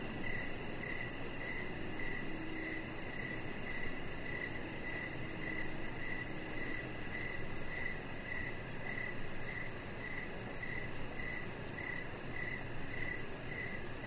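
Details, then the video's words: Evening cricket chorus heard from a deck outdoors, a regular pulse of short chirps repeating roughly every half second, a thin high-pitched pulsing trill above, and steady low background noise throughout. "3 Hours Of Chihuahua Puppy Laying On Deck with Cricket Sounds"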